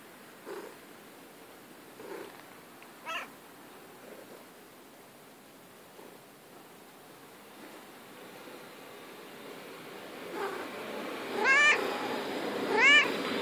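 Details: Female pet cat playing in the grass, giving faint, scattered short mews early on, then two louder rising-falling harmonic meows near the end over steady low background hiss.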